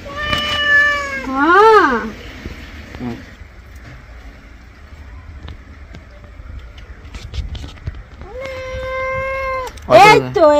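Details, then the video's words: Domestic cat, angry while being given a bath, gives a series of long, loud harmonic meows. Some hold steady and others wobble up and down, with a drawn-out wail near the end and quiet background noise between cries. "Today our cat looks angry while taking a bath"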